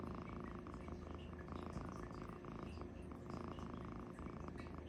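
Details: Loud snoring from Luci-furr, a cat fast asleep: a dense, low, grinding drone pulsing with each breath, roughly thirty-four cycles a minute, each inhale and exhale marked by a brief brightening of the rumble.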